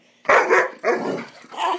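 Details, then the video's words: Swiss Mountain Dog pup Bower barking during a wild "bad dog run", three drawn-out rough barks in under two seconds with a faint hiss behind them. "Swiss Mountain Dog Epic bad dog run"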